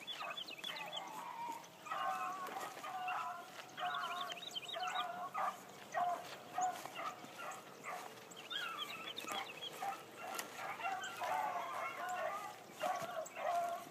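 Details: Hound barking while hunting: a new Blackcreek female named Bee on her first run one morning. Distant, harmonic barks come in ragged bursts of several notes, with short pauses between bouts, over a steady background hiss.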